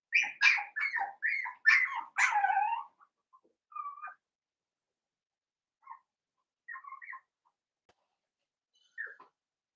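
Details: A litter of five seven-week-old blenheim Cavalier King Charles Spaniel puppies in an indoor pen, with a quick series of sharp high yelps for about three seconds, then scattered soft whines and squeaks spaced by quiet gaps.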